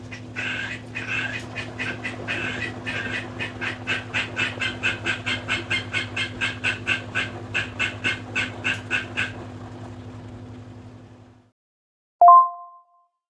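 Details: Pet frog calling at home in the early evening, its throat slightly swollen: rapid, evenly repeated raspy croaks about twice a second for roughly nine seconds over a steady low hum, then a short electronic two-note tone.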